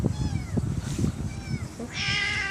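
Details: Stray kittens, one of a litter of four born in a residential area by a bus terminus, mew repeatedly in thin, high, arching cries, several overlapping near the end, over a low rumbling background.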